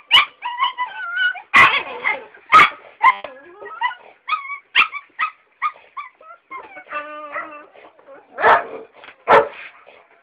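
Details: Female Belgian Malinois pups, eight weeks old, making a mix of high whines, squeaky yips and short sharp barks, irregular and overlapping, with a warbling whimper in the middle and two louder barks near the end.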